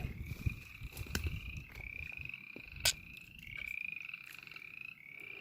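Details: Frogs vocalizing near a pond in woodland with snow on the ground beside a burned clear-cut. Several overlapping high, quavering trills run continuously and are faint, with soft clicks and rustling handling noise throughout.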